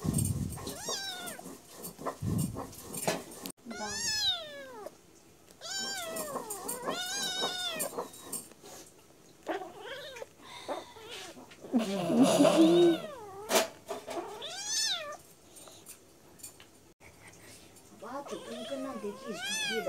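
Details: Two young domestic cats, brothers, fighting on a lap indoors; repeated harmonic yowls and meows rise and fall in quick overlapping bursts, with a louder scuffle mid-way and Bengali speech in the background.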